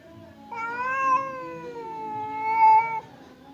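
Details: A single drawn-out growling yowl from one of two domestic cats, fierce Temon and quiet Lelo, facing each other before a fight behind a barrier; the tone wavers, dips, then swells louder before cutting off.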